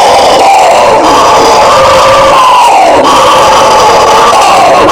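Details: Bugio, the Brazilian howler monkey, giving a dense, raspy roar: several overlapping droning voices hold a steady mid pitch, sliding downward and rising again in slow waves.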